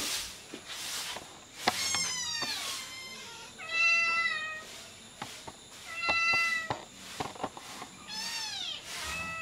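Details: Hungry kittens nursing from their mother cat and jostling for milk; high, clear meows with rich overtones, some rising then falling, repeated several times with short gaps, plus soft thumps and rustling.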